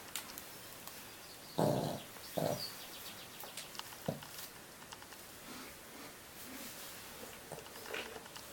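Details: A sleeping 25-year-old Pekingese snores with a couple of rough, breathy snorts, then quieter breaths.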